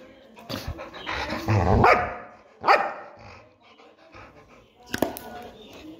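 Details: Pet Labrador Retriever letting out a few short, harsh barks, the first two about a second apart and another after a pause, over human voices and soft background music.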